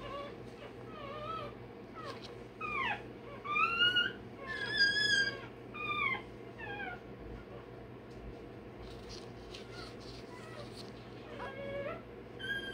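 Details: Day-old Rottweiler puppy having its tail and dewclaws done, crying in a run of high, wavering whines and squeals that rise and fall, loudest in the middle, over a steady low background hum.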